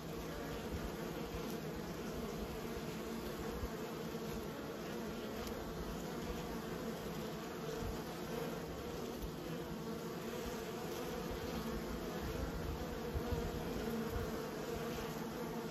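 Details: Long stretch of domestic honey bee buzzing: a rich, continuous low hum with overlapping drones, gentle fluctuations and faint clicks, steady for about sixteen seconds.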